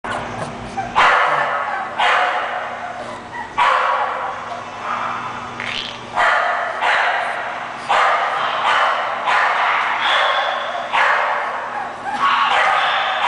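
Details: English Bulldog barking steadily, about eight sharp, harsh bursts spaced roughly one to one and a half seconds apart, each loud and broad-toned, with a faint steady hum underneath.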